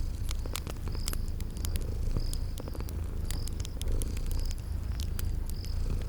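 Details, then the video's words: Deep steady purring of sleeping kitties, set by a crackling fireplace with spring garden ambience, joined by scattered fire snaps and short high-pitched chirps recurring roughly each second. "Sleeping Purring Kitties"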